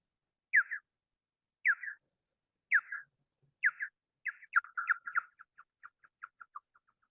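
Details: A big brown bat at the Wampanoag Common Lands, recorded by a bioacoustic monitor and pitched down to be audible, echolocates in chirpy downward sweeps that rise in frequency and speed up as it zeroes in on prey.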